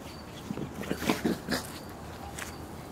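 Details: Two pet dogs, cousins Bobby and Mimi, one and a half years old, play-fighting while running in a backyard; a quick run of short, rough growling bursts over about a second, then quieter rustling and faint ticking insects behind.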